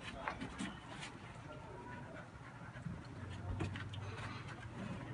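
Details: Cheerful dog breathing in rapid, irregular pants, with a faint human voice and a low background hum in a quiet room.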